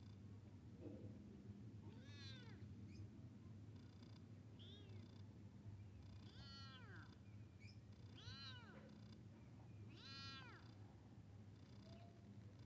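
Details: Cat meowing as a kitten meets a big cat: about five loud arched meows, each rising then falling, spaced roughly two seconds apart, over a steady low indoor hum.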